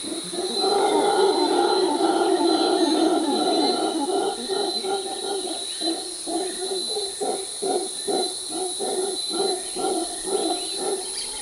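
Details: Mantled howler monkey in Costa Rican forest, calling loudly to communicate and defend territory; a deep, rough roaring drone that breaks into rapid rhythmic grunting pulses in the second half, over a steady high insect whine.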